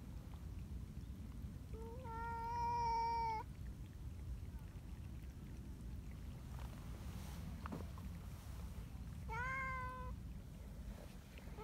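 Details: Affectionate community cats in Japan heading along a mountain road to their meeting place on a cold morning; a long, flat, harmonic meow of over a second, then a shorter falling meow near nine seconds, against low background rumble.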